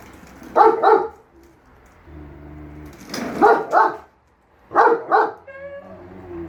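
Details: Pet German Shepherd Enzo and Siberian Husky Shira arguing over the lawn mower, which Enzo thinks is evil: paired harsh barks repeated three times, with a low steady engine-like hum filling the gaps.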